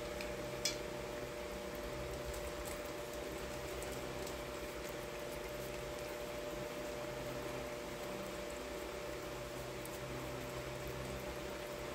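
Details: Quiet indoor room tone with a steady low hum and faint bubbling or patter, plus one brief click near the start; no animal voices.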